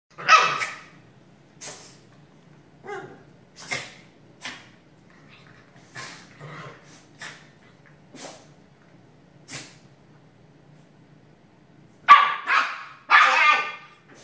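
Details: Shiba Inu dogs sneezing in turn: sharp, breathy, noisy bursts, loudest at the start and in a double burst near the end, with softer snorts and sniffs spaced between.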